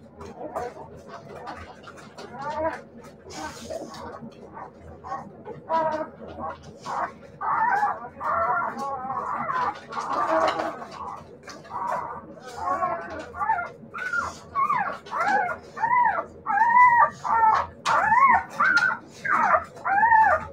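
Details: Siberian Husky puppies giving a series of arched, high whining yelps, sparse and overlapping at first, then a steady run of separate cries about every second over the last several seconds, against a low background rumble.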